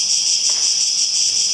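A cicada sings a steady, dry, high-pitched buzz that carries on without a break.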